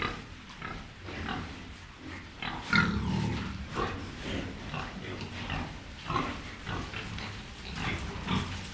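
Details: Wild boar (Sus scrofa), grunts.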